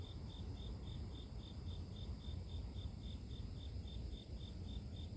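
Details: Grass insects in a nature recording: a steady high, even chirp pulsing about three times a second over a heavy low rumble of background noise.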